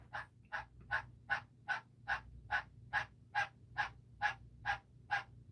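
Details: A male tree frog calls with steady, raspy clacks, roughly two or three every second, in a room housing a pet bearded dragon.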